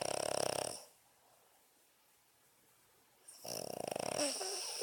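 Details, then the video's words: Sleeping Boston Terrier snoring indoors: a loud, raspy, buzzing snore for the first second, a quiet gap, then another rough, rattling breath rising near the end. "Snoring Boston Terrier"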